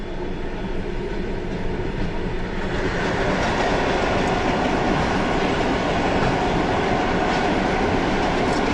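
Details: A train rumbles steadily along the rails with rhythmic clatter of wheels and no animal voices.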